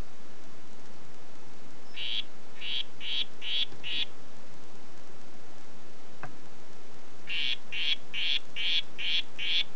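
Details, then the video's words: Two series of short buzzy pulses from a red-headed harlequin poison frog (Oophaga histrionica "Red Head"): five notes, a gap broken by one sharp click, then seven more notes at a quick, steady pace. "Oophaga histrionica "Red Head" Ruf"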